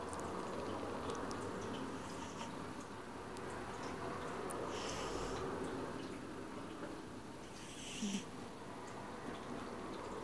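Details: Woody, a domestic cat, snoring while asleep indoors; soft, hissing breath sounds recur every few seconds over a steady low hum, with a brief louder snort near the end.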